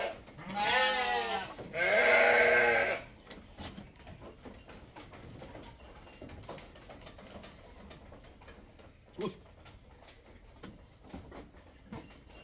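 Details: Goat being milked, the milk meant for a newborn: two loud wavering bleats of about a second each, close together, then near silence with faint clicks and handling noises.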